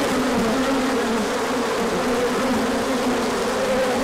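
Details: Bees circling in a large orientation flight as the sun came out after colder weather, March 2024. The air is full of an even, busy wing drone, with buzzing tones slightly wavering as insects pass.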